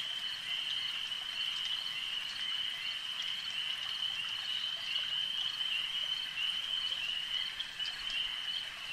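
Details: Lakeside frogs keep up an unbroken, high, buzzing trill chorus, many animals blending into a steady wall of sound with small pulses and ticks scattered through it.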